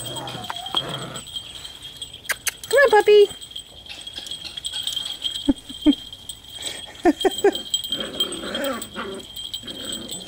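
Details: Six-week-old puppies, recorded 28 June 2011 while struggling with their first collars, give a drawn-out whiny cry followed later by short clipped yelps, while a person chats over them.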